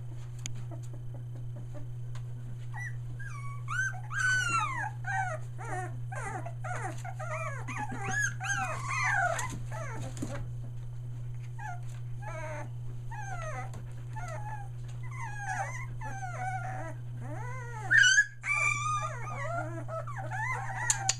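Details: A litter of Australian Shepherd pups, almost three weeks old, near Mooresville, North Carolina, finding their voices. Long stretches of wavering, pitch-bending whines and cries, some overlapping, with a short lull midway and a low background hum throughout.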